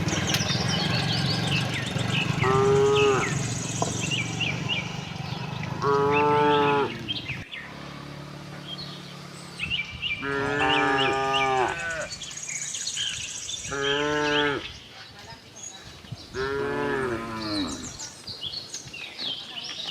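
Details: Tame cows moving around a cattle farm while looking for fresh grass; a series of six harmonic moos of varying length over low background rumble, with birds chirping throughout.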